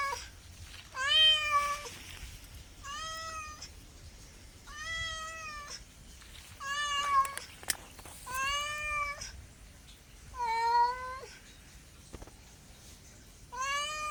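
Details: House cat meowing over and over, about nine meows each lasting around a second, some arching upward then falling, with brief clicks between calls.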